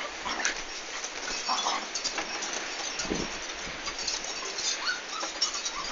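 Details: Komondor dog recorded on 11 March 2016 during a big house move; brief whining, whimper-like yelps scattered across six seconds, each a short tonal burst, over a constant broadband hiss.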